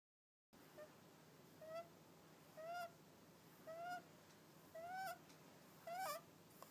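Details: Hakka the cat snoring, each breath carrying a nasal, whistled tone that bends up and down, with a breathy hiss at its end, about once a second after a short silent start; five snores in all.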